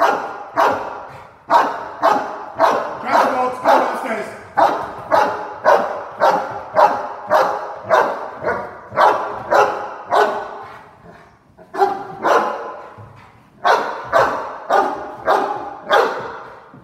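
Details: Cane Corso dog indoors during a home invasion role play, barking loudly and steadily, deep full barks repeated nearly twice per second with a short pause near the middle, little other sound.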